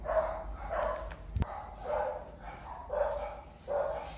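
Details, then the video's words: A dog barking as a curious monkey hears it; five evenly spaced harsh barks, about one every 0.7 seconds, with a sharp click near the middle. "Monkey Lyly was curious when she heard the dog barking"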